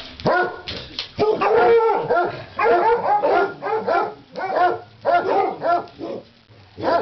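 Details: Dogs at Christmas, worked up by a leg of lamb cooking in a crockpot, let out a rapid run of excited barks and yips in close bursts, with short pauses between volleys.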